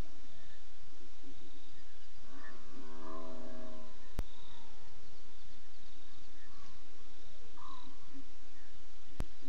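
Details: Lions at 04:45 a.m. on 21 September 2016, apparently after killing a buffalo, heard on a safari live audio feed: a brief harmonic, moaning growl mid-clip, then faint scattered calls over a steady background of pulsing night insects.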